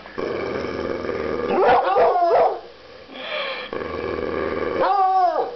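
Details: Coonhounds, likened to sock puppets, give a few short harmonic barks and yelps around two seconds in, then a longer arched howl-like bark near the end, over a steady background hum.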